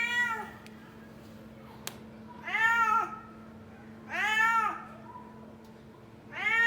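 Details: A pet kitten meows to be fed indoors, giving three arched, whining meows spaced about one and a half seconds apart over a faint constant hum.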